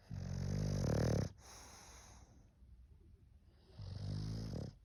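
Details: English bulldog snoring loudly: a long rough rattling inhale lasting over a second, a quiet pause, then another throaty snore near the end, with a faint hiss between.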